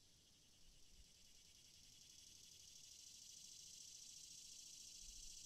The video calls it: Cicadas sound